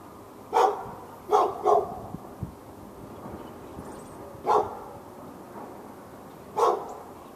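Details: Domestic dog barking continuously at the neighbouring dog in Raleigh, North Carolina, on February 15, 2012, part of non-stop barking lasting from morning into afternoon; five sharp, loud barks come in an uneven series, two close together, then spaced gaps.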